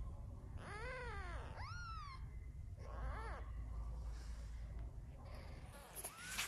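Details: Newborn kittens, one only two days old, indoors with their mother cat: a few high arched mewing cries in short bursts, with a low steady hum underneath and a faint rising squeak near the end.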